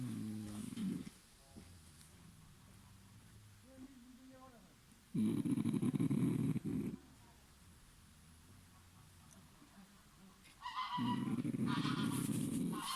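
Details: Sleeping dog snoring: low rumbling snores in slow bursts about every five seconds, each swelling loud for one to two seconds between quiet breathing.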